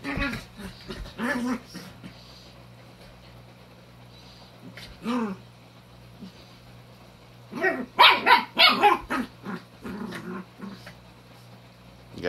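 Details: Vocal, sassy puppy at home during quarantine being egged on by another dog, giving scattered yips and growly sounds, then a burst of sharp high barks around the eighth second, with a steady low hum beneath.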